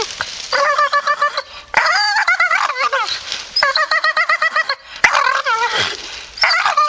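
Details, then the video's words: Staffordshire Bull Terrier in a grumpy mood, voicing quick rattling grumbles and wobbling whine-like moans in several bursts, one ending in a low dropping groan. "Funny Grumpy Staffy"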